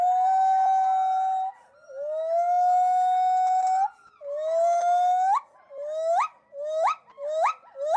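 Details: A pileated gibbon's great call at a gibbon center: long, clear hooting notes that turn into quicker, sharply rising whoops; gibbons vocalize while breathing both in and out.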